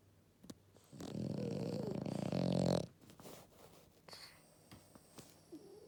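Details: French Bulldog, an 11-year-old female, napping after a walk: one deep, rough, buzzing snore lasting about two seconds and rising in loudness toward its end, then quiet room sounds with faint small clicks.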